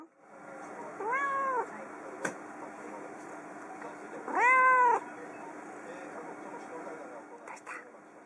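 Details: Pet cat on a computer desk in a living room, meowing at its owner who has returned from the kitchen, seemingly lonely; two arched, tonal meows about three seconds apart, the second louder, with a woman speaking softly in Japanese.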